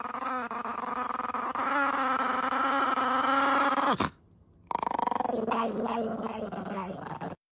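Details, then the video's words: Angry puppy growling while wanting food, a continuous tense, whiny growl held for about four seconds, a short break, then a second long rattling growl. "Really soo angry cute puppy for food"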